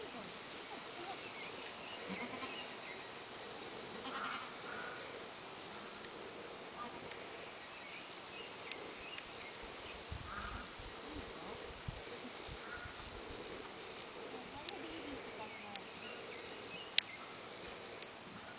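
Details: Young goat kids playing together at a farm; a few faint, short wavering bleats rise out of steady background hiss around the middle and later stretch, with quiet rural outdoor noise and one sharp click.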